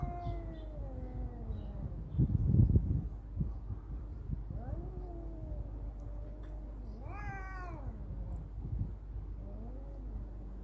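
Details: Cats fighting: long wavering yowls slide down and rise again, with a loud scuffle near two seconds and a sharp rising screech around seven seconds over a low background rumble.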